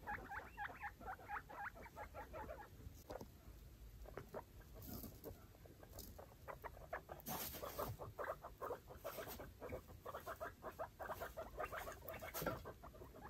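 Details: Five young foster guinea pigs with mother Chalupa investigating their freshly cleaned cage; bursts of quick squeaky chatter alternate with pattering steps and rustling bedding, the calls coming in clustered runs.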